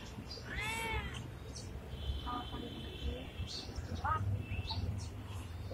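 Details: Friendly pregnant Indian street cat giving one clear, loud, arched meow near the start, then fainter short mews. Low traffic-like rumble and a steady high tone run in the background.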